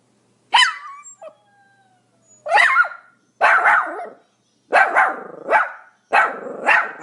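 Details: Pomeranian barking: a sharp yap, a faint whine, then a steady series of loud, rough high barks in pairs, roughly one every second.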